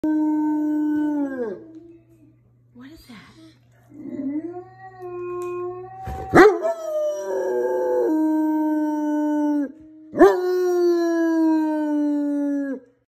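A German Shepherd howls in long, wavering notes that slide downward at their ends.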